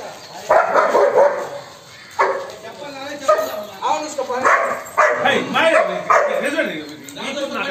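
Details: Two German Shepherds fighting when they meet for the first time: harsh barks and snarling growls come in rapid bursts through about eight seconds, with a person's voice mixed in.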